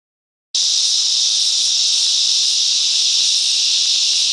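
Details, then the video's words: Cicadas singing together in the bush mangroves of Coffs Harbour, NSW, Australia: after a brief silence, a loud, steady, hissing buzz begins abruptly and holds unbroken to the end, with no other sounds. "Cicadas Song"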